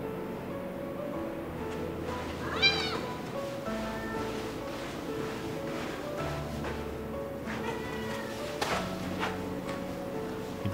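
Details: A Ragdoll cat gives drawn-out, rising-and-falling meows, calling through a door to a companion Ragdoll cat it was recently reunited with, over soft background music.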